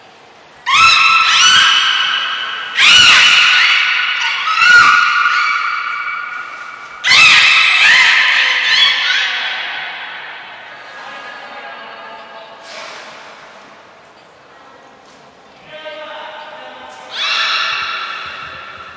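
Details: Belugas in training at Port of Nagoya Public Aquarium on 2 April 2023 produce loud, abrupt, screechy harmonic bursts, several in quick succession, then softer wavering tones, with short high trainer whistles between them in an echoing hall.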